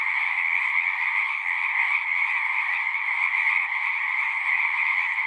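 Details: Singing frogs in a massed natural chorus, countless overlapping shrill trills merging into a continuous high buzzing drone with a softer lower layer, evenly loud with no gaps.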